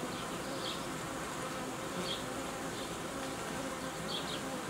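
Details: Honey bees around hives while beekeeping work unites colonies and creates young colonies; a steady droning hum with several short, faint high chirps spaced through the clip.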